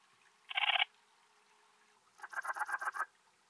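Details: Antaxius difformis, the Alpine bush-cricket, recorded at Timmelsjoch, Italy, 26 August 2022. Two chirps of rapid rasping pulses: a brief dense burst, then after a pause a longer series of about ten separate scratchy pulses.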